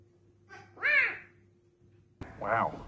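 Two loud, arching serval calls, each rising then falling like a drawn-out human 'wow'.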